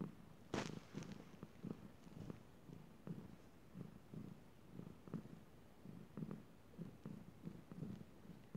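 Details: Chilali the cat purring at good-night time; a brief sharp knock near the start, then a low rhythmic purr swelling with each breath about once a second.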